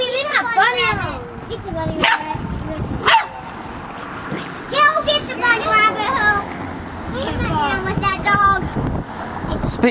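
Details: Nine-week-old Doberman puppy named Tobie, playing with a pet bunny at home, gives short sharp puppy barks and yips amid lively children's voices and repeated commands to speak, with brief music in the background.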